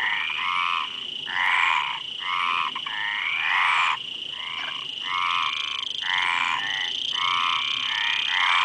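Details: Frogs calling in bursts of harsh, ratcheting croaks about half a second long, repeated roughly every second, with a steady high insect-like hiss running beneath throughout.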